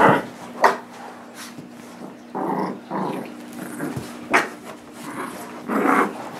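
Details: Playful tug of war indoors between a nine-month-old blue Doberman Pinscher called Nibbler and Biscuit, a tiny 6 lb Shorkie; short bursts of gravelly growling interrupted by sharp snaps and sniffs, with a low steady background hum.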